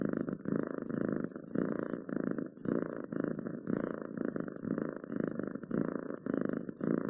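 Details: Steady domestic cat purr, rough and low, rising and falling in even breath rhythm with short breaks between phrases; recorded very close in a quiet indoor setting.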